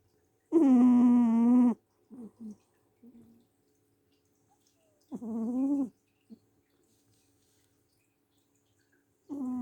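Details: Mocha, a sleeping pet cat, snoring very loudly: long, tonal, harmonic snores roughly every four and a half seconds, each lasting over a second, with softer short breaths between them in a quiet room.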